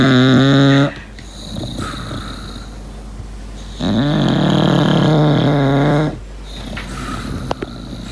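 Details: Sleeping English Bulldog named Lincoln: steady, buzzy, whistling snores roughly two seconds long, separated by quieter breathing and a faint high whistle in a quiet indoor room.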